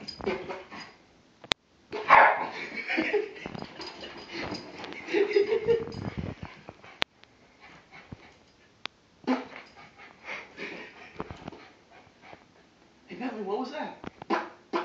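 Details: Bentley the pet dog going crazy after hearing fart sounds: bursts of excited barking and yelping in two loud bouts separated by quieter stretches, with people talking in between.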